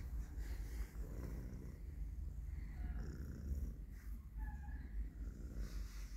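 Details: Colorful stray street cat purring as it seeks to be petted; a low, steady rumbling purr pulses continuously, with faint high chirps and a soft background hum.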